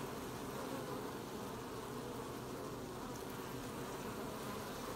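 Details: Honey bees collecting honey at an apiary hive on 20 July 2020: a steady, dense droning hum from many bees at once, with no pauses and no other clear sounds.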